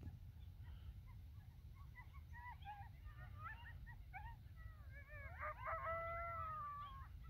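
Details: Riled-up pack of wild coyotes gathering after sunset atop North Table Mountain mesa, Colorado: rapid chattering yips and short wavering yelps tumble together, building into several overlapping high howls near the end, with low wind rumble.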